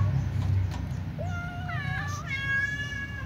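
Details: Ginger or white domestic cat eating fried tofu gives a drawn-out rising then wavering meow lasting about a second and a half, followed by a second higher tone, with a constant low hum of road traffic underneath.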